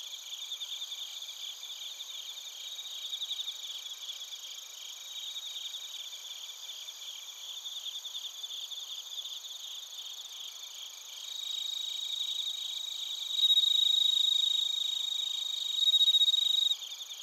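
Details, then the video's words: Chorus of bell crickets and other crickets from Narita in Chiba Prefecture, Japan, recorded on a TASCAM Portacapture X8: steady, fast high-pitched pulsing, then a louder clear ringing trill near the end. "スズムシとコオロギの鳴き声 - Chirping of crickets"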